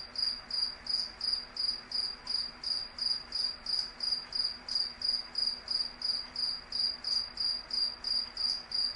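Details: At night, insects produce a shrill, high chirp repeated around three times a second in a long unbroken series, with a faint low steady tone beneath.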